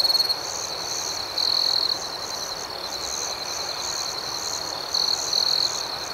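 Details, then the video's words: Crickets at night: a steady high, thin ringing drone with a fainter pulsing band above it. Two louder, bright trilled bursts stand out, each lasting about half a second. No other sounds. "Soothing Cricket Sounds"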